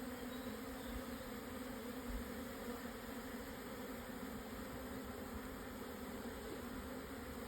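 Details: Midday swarm of Japanese honey bees at 1054 m elevation in Hokuto, Yamanashi, 17 June 2024, once the strong wind had died down; a continuous, thick buzzing hum that stays level in pitch and loudness.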